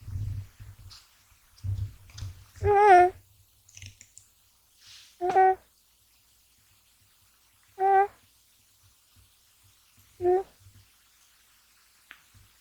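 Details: Gash, a male American Shorthair kitten born in January 2020, snores while sleeping deeply indoors. Short squeaky, nasal tones with a slightly falling pitch recur about every two and a half seconds, with soft faint clicks in between.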